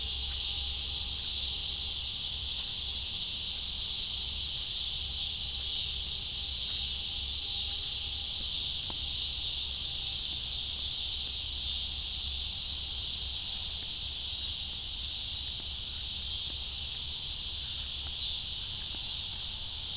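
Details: Constant high cicada drone, a wall of dense buzzing sustained without gaps, with a faint low hum and an occasional soft click.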